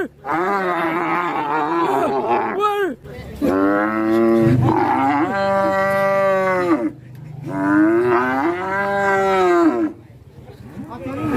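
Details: Angry, rampaging cow that broke loose and got out of control, Indonesia; three long, loud harmonic bellows of about two to three seconds each, rising then sinking at the ends, separated by short quiet gaps.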